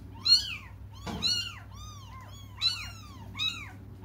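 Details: Cats crying while waiting for their mother to come: high, arched meows with rich harmonics, about four calls in quick succession, some overlapping as if from more than one animal, with a low steady hum in the background.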